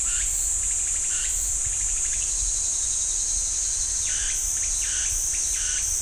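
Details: Steady shrill cicada drone fills a pine forest by Ssanggyesa temple, Jirisan National Park, with bursts of repeated chirping notes from another caller near the start and again toward the end.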